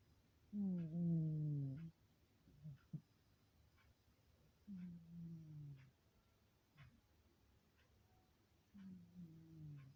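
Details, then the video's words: Sleeping pet cat snoring softly indoors: a longer low buzzing breath, then short snuffles and two more drawn-out, gently falling snores, all quiet and low-pitched, with a clock ticking faintly in the background. "Quietly Snoring Cat"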